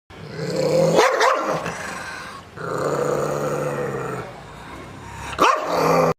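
A Rottweiler gives deep, rough barks and sustained growling, sounding angry and threatening.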